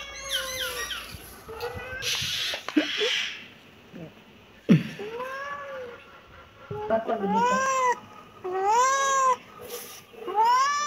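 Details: Kitten meowing repeatedly, a series of high, arched mews with rich harmonics, some short and some drawn out, separated by brief quiet gaps and a few soft knocks and rustles.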